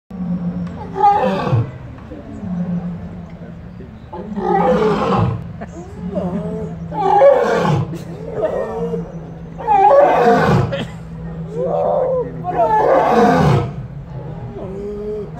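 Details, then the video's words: A caged lion at Kapama Game Reserve, South Africa gives a series of deep, hoarse roars that tail off downward every two to three seconds. The roars are described as calling to round up his pride and mark territory. "The Lion King Roaring in the Cage"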